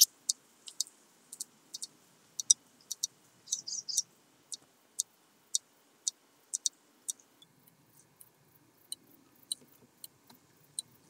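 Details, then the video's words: Red band-winged grasshopper at Mörnsheim, Germany, on 14 July 2023: dry, sharp clicks in irregular bursts, some single and some doubled, with a brief rasping cluster near the middle and near silence between. "Oedipoda germanica -- Rotflügelige Ödlandschrecke -- Red Band-winged Grasshopper"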